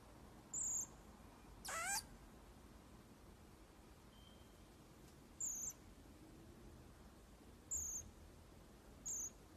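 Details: Baby pygmy marmoset being brushed: thin, very high whistled calls, each short and slightly falling, given four times at irregular gaps, plus one loud sharp squeak early on; quiet room background.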